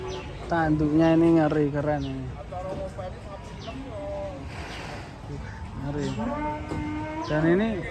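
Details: Cattle on the rampage give a strong, sustained low moo for about two seconds, then a rising bellow near the end, with people talking over the gaps.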